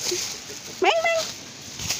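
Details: Domestic cat giving one short meow that rises then falls and trails off in a thin tone, while a person softly calls the cat with repeated "meng" sounds.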